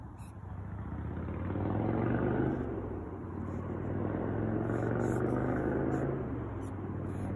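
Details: Large poplar longhorn beetle (Saperda carcharias) sounding loudly while trying to bite: short, scratchy, high-pitched squeaks in separate bursts, about three per second, over a steady low rumble.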